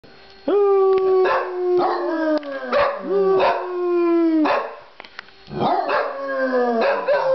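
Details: Two dogs howling together at home, singing along: a series of long, harmonic howls, each starting abruptly and then sliding slowly downward in pitch. The voices overlap, with about six howls over seven seconds and short quiet breaks between them.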